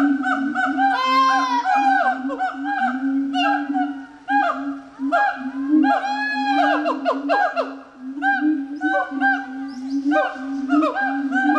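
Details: Gibbon calling loudly in a dense harmonic series: fast upward-sweeping notes over a steady low tone, with bursts of swooping hoots that rise and fall in waves and briefly pause before resuming.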